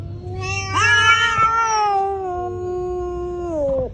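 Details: During a cat fight, a single sustained yowl jumps up sharply, holds a long, steady, whining tone, and drops away at the close.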